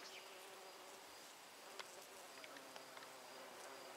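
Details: Bees gathering nectar among flowers produce a dense, even buzzing hum, with brief faint clicks and rustles breaking through now and then.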